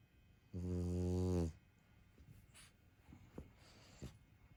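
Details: French bulldog snoring: a single loud, low, droning snore lasting about a second, then near silence with a few faint clicks and soft breaths.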